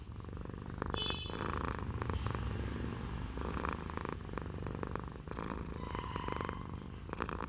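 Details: Domestic cat purring steadily, a continuous low rumbling throb with a dense pulsing texture, a few faint brief higher sounds near the start and some light background noise throughout.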